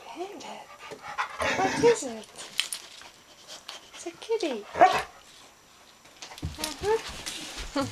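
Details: A shelter dog available for adoption at a humane society in Austin, together with a cat: short tonal whines and panting breaths, with a person talking in between.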